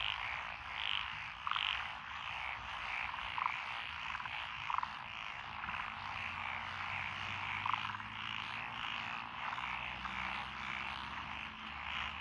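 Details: Frogs in lotus rice paddies on a country road in Echizen, Fukui, Japan, 12 June 2021; continuous dense chorus with occasional louder clucking croaks, plus a faint low engine hum in the background.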